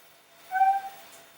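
A Vietnamese mossy frog gives a single short, tonal, slightly nasal note lasting about half a second.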